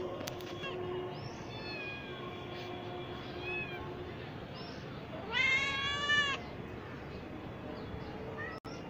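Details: Cat giving a loud, strongly harmonic meow in the middle, rising then falling, preceded by softer, fainter mews and a steady low tone; some background noise and a brief click near the end.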